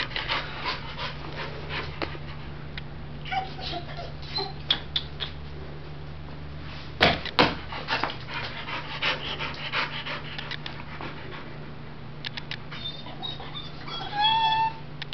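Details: Retriever named Oreo, available for adoption, 8/1/2011: rapid rhythmic panting at nearly three breaths per second, soft airy huffs over a constant low hum, with a few louder knocks and brief faint squeaky tones near the end.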